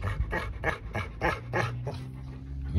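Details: Bernese Mountain Dog panting indoors, quick rough breaths repeating about three times a second, with low hum in the background.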